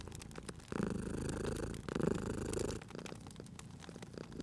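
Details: Domestic cat asleep by a crackling fireplace, cozy spring ambience: one steady, deep vibrating purr lasting about two seconds, then near-quiet with only scattered fire crackles, which pop and tick over the rumble as well.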